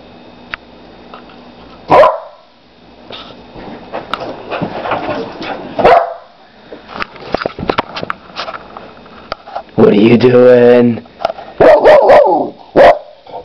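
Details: A four-month-old Labrador Retriever and Pit Bull mix puppy, a female, playing indoors, lets out loud barks and a drawn-out whining howl among scattered yips and scuffling, with a person speaking to her.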